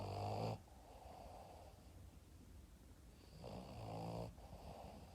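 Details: Yoda, a Boston Terrier dog, sleeping like a baby and snoring indoors: two drawn-out, rasping snores, one at the start and another about three seconds later, separated by quiet breathing.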